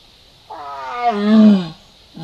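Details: Jaguar (yaguareté) seen roaming Salto Encantado over a weekend. It gives one drawn-out harmonic call of just over a second, starting higher and sliding steadily down in pitch before fading, against a quiet background.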